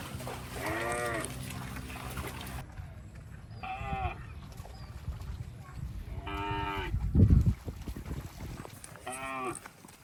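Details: Cows passing water in rice fields give several deep, harmonic moos, each about a second long, over a low rumbling background.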